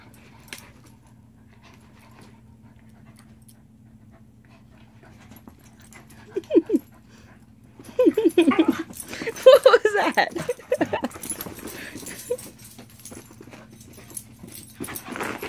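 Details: Rainbow the Shiba Inu beside Ringo, who is sharing with him: near silence, then a pair of short whines, followed by a busy run of falling, yelping whimpers lasting several seconds with rustling, before it quiets again.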